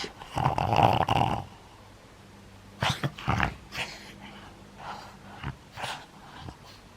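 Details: Playing pug, nine years old, in Japan on 11 January 2020: one sustained rasping growl lasts about a second, then scattered short snorts and wheezy huffs follow at uneven intervals against a faint steady hum.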